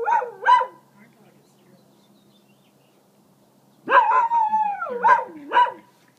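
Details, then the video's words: Pet dog guarding its territory after hearing coyotes below the property, giving short yelping barks, a pause, then a falling, howled cry broken by further yelps. "Dog Warns Coyotes To Stay Away"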